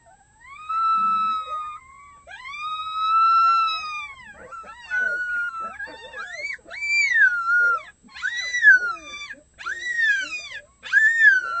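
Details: Six captive red wolf pups, just short of one month old, raise an early morning chorus, a day before the weekend; long smooth rising-and-falling howls give way to shorter, wavering yips and cries repeated in bursts.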